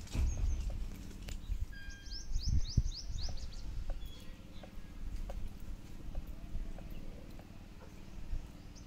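Low, thudding crunches and grinding come from a buffalo chewing regurgitated cud, with uneven pauses between bursts. Faint high bird chirps and a background outdoor hum sit behind the chewing.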